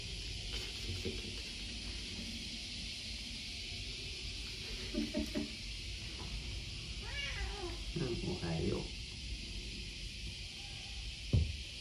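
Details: Pet cat Odeko keeps talking while sprawled out on a hot day: a few short, bending meows come midway after quiet room noise, and a sharp knock sounds near the end.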